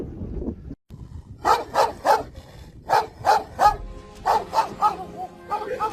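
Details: Kangal shepherd dogs, pure-bred flock guardians kept on a farm in Sivas, Turkey; a rapid series of about a dozen deep, loud barks in uneven bursts after a brief pause, with faint music underneath.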